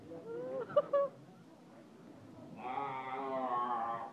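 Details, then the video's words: Short, rough, broken sounds with two sharp knocks open the recording, then after a quiet spell a seal lets out a steady, droning, harmonic yell lasting well over a second. "yelling seal"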